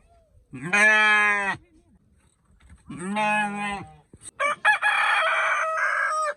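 A sheep bleats three times, each a steady, wavering baa lasting about a second.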